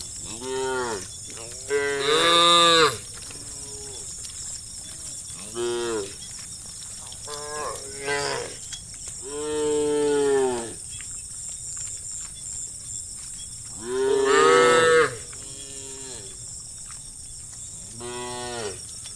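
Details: Herd of hundreds of tame cows driven toward green fields, calling to their friends: many overlapping moos of varying length and loudness, a few strong drawn-out lows among quieter ones, against a steady high-pitched buzzing hiss.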